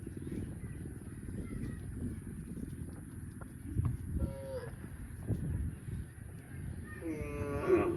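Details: Cow mooing, a low rumbling moo under steady farm background noise, with brief higher-pitched harmonic calls near the middle and again at the end.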